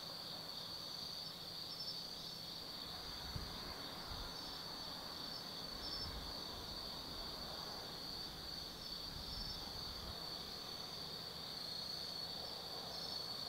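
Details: A night chorus of autumn insects at Tsukimi no Mori, Gifu Prefecture, Japan, on forested hills overlooking the Nobi Plain; continuous shrill, ringing trills layered over a soft, distant rumble of traffic.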